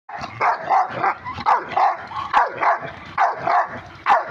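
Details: Rottweiler; bark; expressing anger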